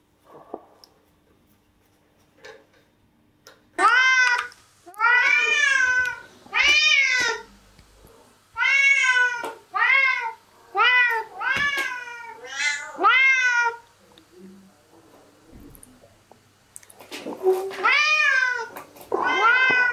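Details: Domestic cats at a breakfast table indoors give a run of about eight harmonic meows, each rising then falling, packed closely between four and fourteen seconds, then two more after a pause, in a small quiet room.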